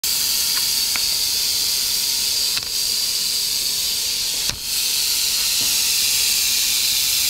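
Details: Western diamondback rattlesnake in Arizona, filmed during a strike: a steady, harsh, high-pitched hiss runs throughout, broken by a few sharp clicks and a brief dip and thump near the end.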